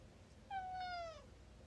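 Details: Pet cat meowing indoors while people talk, a single clear meow of about 0.7 seconds, slightly falling in pitch with bright overtones, in a quiet room.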